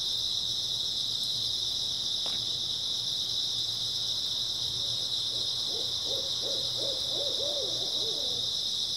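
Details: Grass insects keep up a continuous high-pitched trilling chorus on an early autumn night; after a brief click, a string of about eight low hooting notes rises in the second half.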